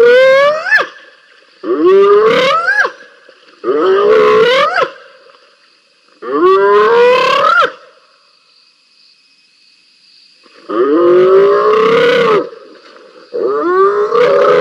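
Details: Two wild spotted hyenas scrapping at Rosie's Pan, filmed by a live camera: loud harmonic whooping squeals and moans, rising and bending, in bursts of about one to two seconds with short pauses, over a steady insect hum.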